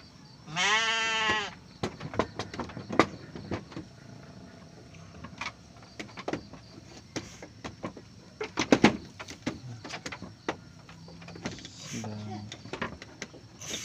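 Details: Garut sheep ewe in labour, delivering triplets on a morning in Ramadan (24 Ramadan). One loud, harmonic, wavering bleat lasts about a second, followed by scattered clicks and knocks. A fainter, lower bleat comes near the end, with a man's voice.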